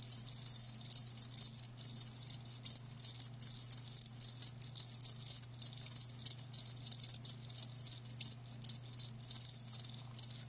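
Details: Live crickets chirping in a dense, continuous chorus of high, rapid pulses with brief gaps, and a steady low hum running underneath throughout.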